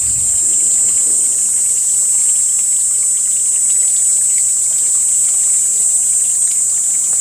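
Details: A cicada, the second species to emerge each summer in Panchkula, on a hot day on 2 May 2021, drones in one unbroken, piercing high buzz, steady in pitch and loudness, shriller than the apache cicada.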